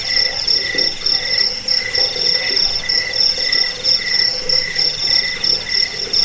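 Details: Crickets chirp steadily on a recording meant to drive away rats, lull listeners to sleep and teach songbirds. Quick, shrill pulses follow one another in a fast, regular beat, layered over a constant high-pitched background trill.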